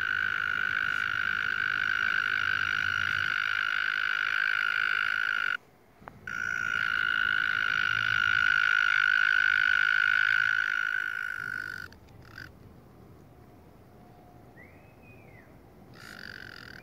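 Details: Small frog with a loud throat calls in long buzzy trills at a steady high pitch. It pauses briefly, then sings again for several seconds before going quiet, returning faintly near the end.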